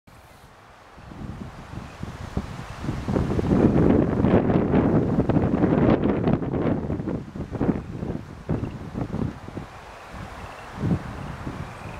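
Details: Gusty wind buffets the microphone with low rumbling and rustling, and no animal calls stand out.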